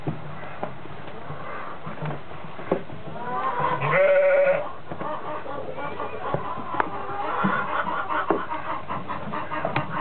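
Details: Goat on the day twin newborn kids were born, a big nanny nearby: one loud, drawn-out harmonic bleat lasting under a second, preceded by a man talking and followed by rustling and scattered clicks.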